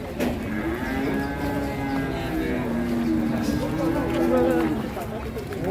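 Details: An angry cow bellows in a long, wavering moo lasting several seconds. The low harmonic tone dips, then rises and strengthens toward the end before breaking off, over murmuring voices.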